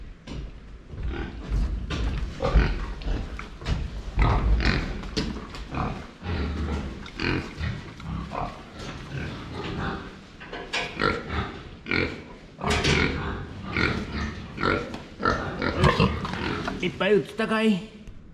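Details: Pigs drinking water, filmed from the front: a run of low, rough grunts and snorts with broadband splashing and slurping noises, busiest between about twelve and eighteen seconds.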